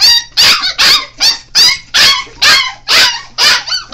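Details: Five-week-old Golden Retriever–Alaskan Malamute mix puppy gives high, squeaky yelps, about two every second.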